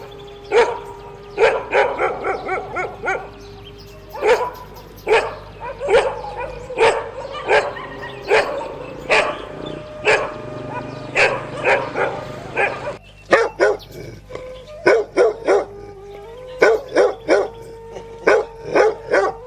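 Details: Dog barking in irregular bursts, quick doubles and triples mixed with single barks, near-continuous for almost twenty seconds with short pauses, over a faint steady hum.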